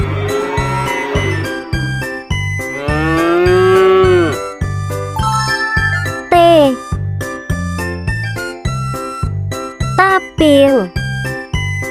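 A cow gives long, drawn-out moos over a bouncy musical backing with a steady beat.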